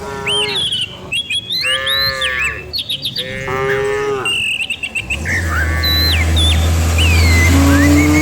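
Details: Cows driven down a hill in a village each morning; a few short lows early, then birds whistling over a rising engine-like hum in the second half.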